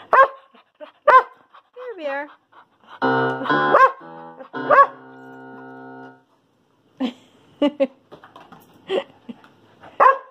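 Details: Curious little female poodle singing with her owner's piano playing; short wavering, swooping howls and yelps come roughly once a second, mixed with held piano chords and a woman's voice speaking.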